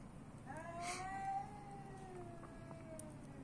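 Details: Street cat in Athens, Greece, uttering a single long meow that rises briefly then slowly falls over about two seconds, over low background hum and a couple of soft clicks.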